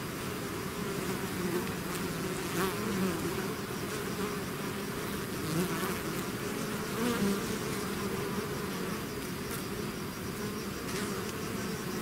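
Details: Swarm of bees out of the hive, a continuous low buzzing with individual bees flying past as short rising and falling whines every few seconds over the steady drone.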